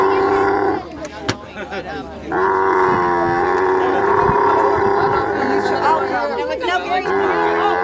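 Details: Camel giving a loud, sustained, harmonic groaning call that breaks off after a second, then resumes for about five seconds with wavering, gurgling pitch, against a background of low rumbling noise.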